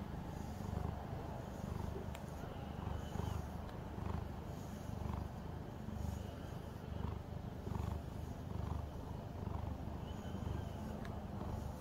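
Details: Domestic calico cat during grooming with a brush, producing a steady low purr that swells and fades roughly every second, with faint clicks in the room.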